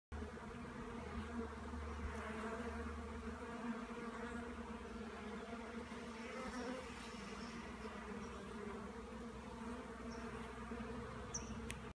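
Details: Honey bees exploring their new hive just after installation on a farm in January 2016; a steady, dense buzzing hum with low droning tones runs throughout without a break.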